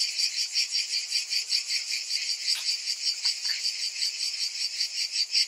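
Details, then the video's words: Many cicadas buzz shrilly together in summer, a steady high whirring that pulses a little irregularly. A couple of short, faint lower knocks sound near the middle. "Cicadas in Summer"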